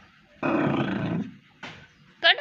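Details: Pomeranian dog giving a rough, sustained growl for nearly a second, then falling quiet; a short voice burst and a sharper, higher sound follow, with people talking nearby.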